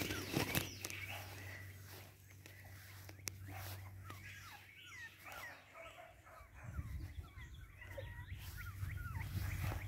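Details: Boston Terrier puppies from Wiggle's litter give many short, high, squeaky whimpers that rise and fall, scattered quickly and unevenly through the clip, over a steady low hum and a deeper rumble near the end.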